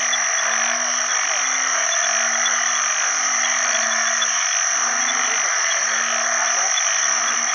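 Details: Several banded bullfrogs (Isan name อึ่งขี้ค้าน) advertise for mates in water after heavy early rainy-season rain. Low, nasal notes roughly a second long follow one another closely, set against a loud, continuous whirring chorus of frogs and insects.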